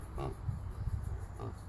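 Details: Vietnamese pot-bellied pig being hypnotised, giving low, soft, rumbling grunts in an irregular run, with a brief human voice calling to it at the start and end.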